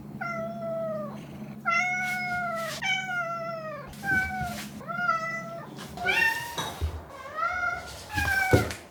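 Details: Pet cat, largely Chiro, from a compilation of household cats' voices recorded 16–22 October 2021: a run of seven drawn-out meows, some bending upward, becoming shorter and harsher toward the end, with a low steady hum and small knocks.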